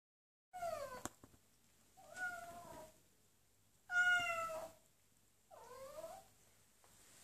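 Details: Kitten meowing because she wants to go outside: four clear, plaintive meows, each drawn out and falling in pitch, spaced roughly every one and a half seconds, the third loudest, with a quiet room otherwise.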